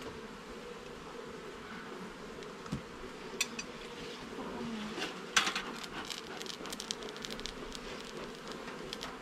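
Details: Honey bees humming in a garden hive being inspected frame by frame: a steady mid-pitched buzz runs beneath scattered sharp clicks and knocks from handling the woodwork, which cluster around the middle.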